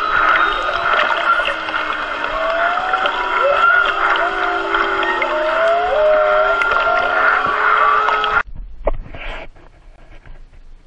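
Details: Whales, a mother and calf close to a boat off Maui on 22 March, picked up by hydrophone: overlapping tonal moans and sweeping whistles, rising and falling, over a steady underwater hiss, ending abruptly with brief splashy noise.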